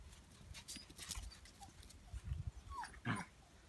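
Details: A 3-month-old female Cairn Terrier gives short excited whines and yips in morning greeting of her 6-year-old grandmother and 12-year-old great-grandmother, amid shuffling and thumping.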